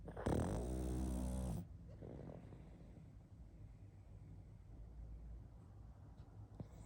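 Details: A pug asleep gives one loud, low, rattling snore near the start, then settles into quiet, soft breathing.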